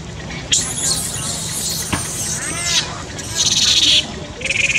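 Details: Baby monkey crying loudly in distress: shrill, high-pitched screaming wails with a sharp onset, rising and falling sweeps and a burst of piercing cries near the end, over rustling background noise.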